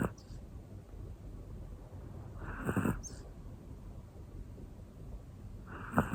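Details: Hana, a black one-year-old female Pomeranian, asleep and snoring: two hoarse rasping breaths about three seconds apart, the first longer and rougher, in a quiet indoor setting.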